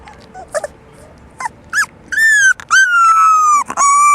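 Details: Black and yellow English Labrador Retriever puppies, four weeks old, from one litter: short squeaks at first, then high, drawn-out whining whimpers sliding slowly downward, several in a row with brief gaps.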